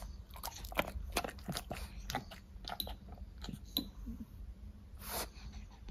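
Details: Pet French Bulldogs munching fruit pieces, quick sharp crunches roughly every half second, then a wetter smacking burst toward the end, recorded up close in a small room.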